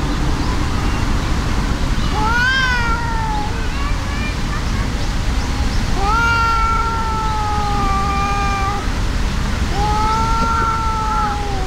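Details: A brown tabby-and-white cat, truly enraged, fights a brown tabby cat that is no match. Repeated long yowls include a bright rising cry early on, then an extended wavering moan of nearly three seconds, then another held wail, over low constant background noise.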